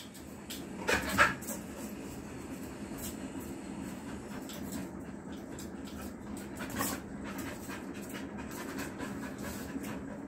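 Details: A female Rottweiler in a playful mood pants steadily, with two brief louder bursts of breathy, whimpering sound.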